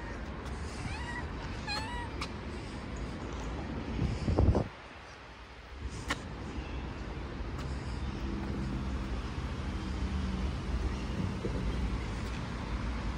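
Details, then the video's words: A stray street cat gives two or three short, high, thin meows that rise and fall, early on, then goes quiet beneath steady low traffic rumble and a brief loud knock. "Cute street cat"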